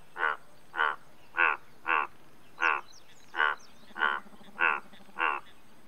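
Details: Indian bullfrog giving a steady run of nine harsh, pulsed croaks, roughly one every 0.6 seconds, each a short rasping burst, with a soft low trill underneath.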